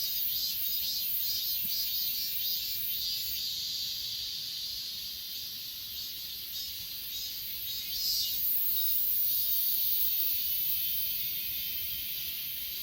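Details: On Achasan mountain, grass insects trill in a thick, high-pitched wall of sound, recorded on an S20 Ultra phone. Pulsed chirps show early, then the chorus swells again toward the end.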